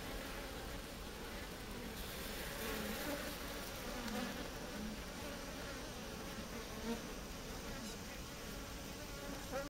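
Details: Japanese honey bees in a heat-killing ball produce a constant thick buzzing drone with occasional faint clicks and brief higher tones.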